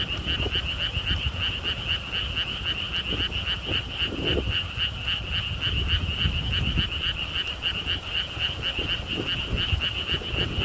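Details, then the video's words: Frog chorus at a lotus theme park in Siheung, South Korea, recorded along a stone wall path with wind. Many frogs make quick, regularly pulsed croaks in an unbroken stream, over low wind rumble. "개구리 소리"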